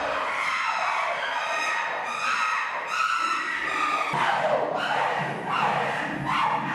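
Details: Chimpanzee uproar in an enclosure as young Kibali tests leader Jambo near feeding time: long harmonic shrieks, several steady, then a run of sharper rising screams after a sudden break.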